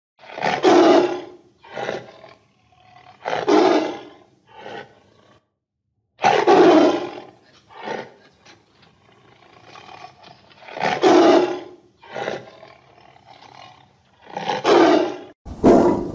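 A tiger gives loud, rasping roars in bursts, each followed by shorter grunting growls.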